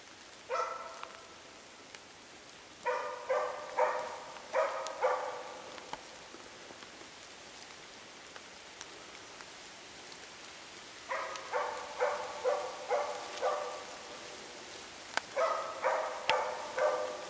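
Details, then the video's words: Zakko, a hunting dog on a Swedish moose hunt, bay-barks at a moose cow and calf it has held for two hours. Loud harmonic barks come in bursts of several, separated by pauses, over steady rain. "zakko skällde ståndskall på ko och kalv"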